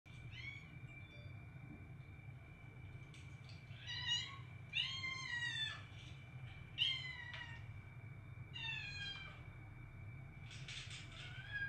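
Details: Domestic cat giving a series of short meows, some single and some in quick pairs, spread across the stretch over a steady low hum and a constant high electrical whine.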